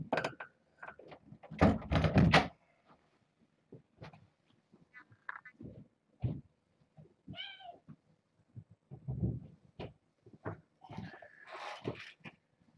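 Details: Six kittens, four female and two male, born August 29th, pushing to get over a fence and explore in the morning; scattered short mews among heavy thumping and knocking, with a louder drawn-out meow near the end.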